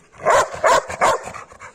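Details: Labrador Retriever barking during basic training at home, responding to 'Speak' commands. Three strong barks follow each other rapidly, then several weaker, shorter barks trail off. Spoken training commands are heard around them.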